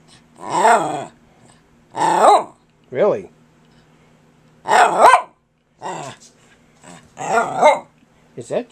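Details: Persistent pet dog named Kirby talking back to his owner: drawn-out, howl-like grumbles rising and falling, about six separate bursts a second or more apart, with quiet human speech in the gaps.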